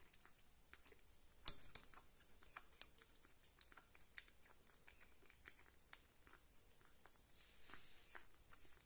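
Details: Rita the kitten, a devoted food lover, chewing meat or lapping milk; crunchy, moist clicks and smacks in irregular bursts, a few sharper snaps early on, softer toward the end.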